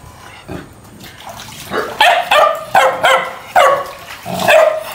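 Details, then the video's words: Fighting dogs bark loudly. After a quiet start, a string of strong, ringing barks arrives roughly every half second, with a drawn-out final bark. "Tiếng Chó Sủa Tiếng Chó Cắn Nhau tiếng Chó Sủa Ầm Ầm"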